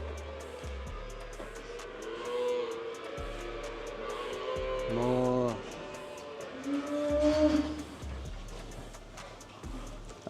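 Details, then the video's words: Small calves on a cattle farm give short, throaty moos just before feeding, over background music and a man talking. "Там у нас телята малі мукають прям. Щас їм будуть їсти давать."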